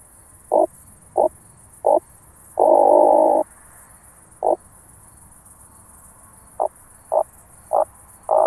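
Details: Oak bush-cricket heard through a Pettersson D 100 ultrasound detector at Starnberg, Germany, on 18 July 2023. Short, dry rattling bursts come at irregular intervals, about nine in all, with one longer burst lasting nearly a second. A faint high hiss runs throughout.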